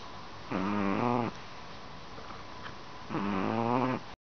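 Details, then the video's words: Chihuahua snoring while asleep: two buzzy, harmonic breaths of about three-quarters of a second each, spaced roughly two and a half seconds apart, with steady room hiss between. "Chihuahua Snoring"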